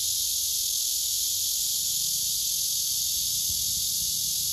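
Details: A male blackish cicada courting a female that does not respond; an unbroken, piercing high buzz holds at an even loudness throughout.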